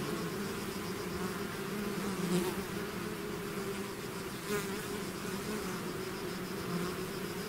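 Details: Bees swarming out of their hive make a thick, constant buzz; individual insects swoop near the recorder around the second and fourth-and-a-half second marks, rising and fading over the steady hum.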